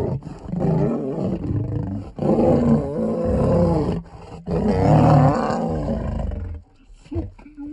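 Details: Grumpy lioness lunging at a male lion who tried to mate with her, roadside in Nairobi National Park, Kenya. Three long, harsh snarling roars with brief breaks, then quieter growls trailing off at the end.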